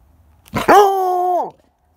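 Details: A Redbone Coonhound gives a single drawn-out bay at a squirrel, a steady mournful tone that drops away at the end, voicing her disappointment at never catching them.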